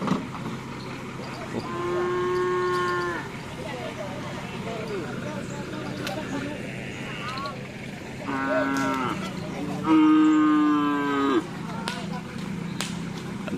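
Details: Cattle at a karapan sapi bull race training session held as a social gathering at Asemanis field, Pamekasan: three long, steady, harmonic moos, the last the loudest, over constant crowd murmur and a low hum.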